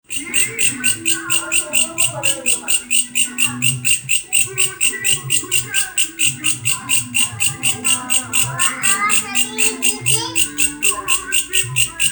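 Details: Grasshopper making a strange sound: a steady train of high, buzzy rasping pulses, about four each second, running for the whole stretch, with people talking and other low voices underneath.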